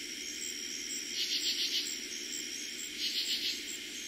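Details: Katydid calling after dark in eastern Pennsylvania during summer 2021: two short rasping bursts of about four rapid pulses, nearly two seconds apart, with a constant high-pitched cricket trill behind them.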